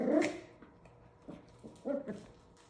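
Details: Havanese puppies, 7 weeks old, at play: a loud high yap opens, followed by softer short yips and a double bark near the end, with a faint steady hum behind.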